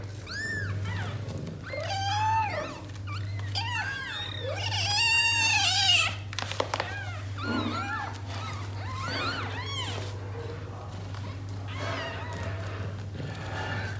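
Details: Mother cat Tota, a house-raised stray's daughter, with her litter of six kittens indoors; dense chorus of arched mews, some loud and strained, crowding together, then thinning to softer scattered cries, with a constant low hum behind.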